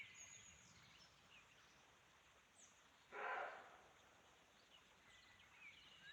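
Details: In a forest at Chaumien, France, a roe deer gives a single harsh, hoarse bark against a quiet background; the hiker who recorded it believes it is a territorial or mating sound.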